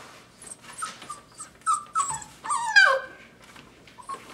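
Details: Dogo Argentino puppies, five weeks old, whimpering and yelping indoors: a run of short high whines, several sliding downward, with a louder falling squeal near the middle, then quieter whimpers.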